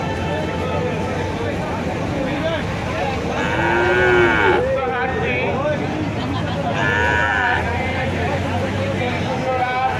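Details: Market cattle lowing at the Kuchia Mara cattle and goat market on 26/5/2026, one rising-and-falling moo near four seconds and a fainter second call around seven seconds, over constant crowd talk and traffic murmur.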